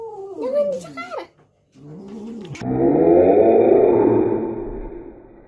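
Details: Cats in a fight, with a short wavering yowl followed by a harsh, noisy, hissing growl that swells and fades over a few seconds.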